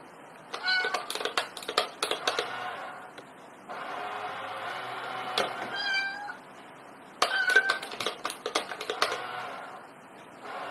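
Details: Domestic cat from a compilation of funny cats, giving repeated harmonic meows in several bursts, some drawn out and falling, with sharp clicks and knocks between calls.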